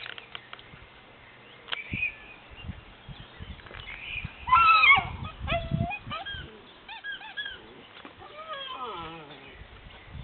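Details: Pyrenean Mountain Dog puppies, known as Patou, born 2011 at a breeding kennel, giving high whining and squealing calls with rising and falling tones, several overlapping, with soft thumps and a brief human voice.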